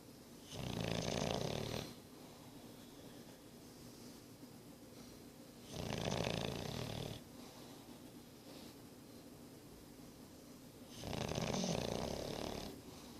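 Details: Boris, a nine-month-old English Bulldog, snores in a quiet room: three loud, raspy, buzzing inhalations about five seconds apart, each lasting roughly a second and a half, with near silence between.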